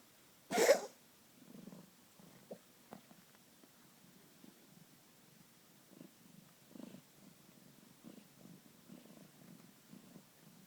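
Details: Male cat that coughs a couple of times daily: one short, forceful, noisy hack, then a long run of soft, rhythmic, raspy breaths, almost purring, indoors.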